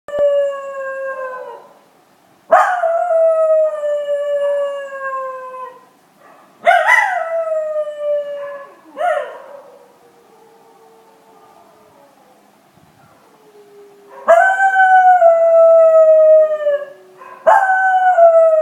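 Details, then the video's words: Money, a schnauzer, howling: a series of drawn-out tonal howls with rich stacked harmonics, each sliding gently downward in pitch, about six howls across nineteen seconds separated by short pauses and softer low tones. "Money The Minion Schnauzer Howl Then Cough"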